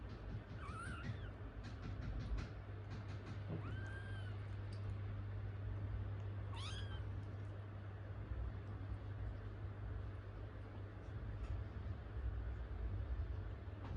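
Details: Baby Munchkin kittens, one waiting to be cared for while a sibling tends another kitten's toilet; several short high meows with rising-then-falling bends at about one, four and seven seconds, over a steady low electrical hum.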